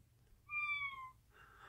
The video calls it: Ragdoll Cat Gus Being Vocal and Sweet